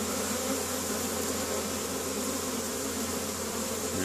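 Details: Spring foraging honey bees at hive entrances opened that day, Caribou, Nova Scotia, Canada, 10 May 2015, carrying orange and yellow pollen; loud, continuous massed droning of many wings with a low steady hum underneath.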